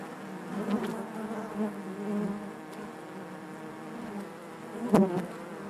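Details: Continuous hum from a honey bee hive, a low layered drone with faint harmonics, fairly even throughout, broken near the end by one loud close buzz of a bee flying past.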